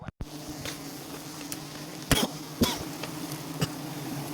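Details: Bees of a colony in an umbrella tree during a honey harvest: a low, steady droning hum runs throughout, broken by sharp clicks and knocks and a brief thump near the start.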